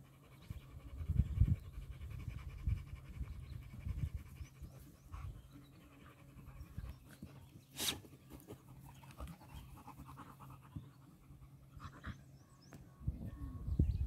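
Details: Nix, a Lab, and Lola, a husky-shepherd mix, tussle with Happy, a dachshund. Steady low panting runs under irregular growly grunts, with a brief sharp scrape partway through.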